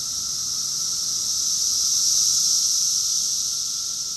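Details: Summer cicada chorus from Rockville, Maryland, USA, in June 2021, a steady wall of shrill buzzing that builds gently to a peak midway and then slightly recedes, unbroken throughout.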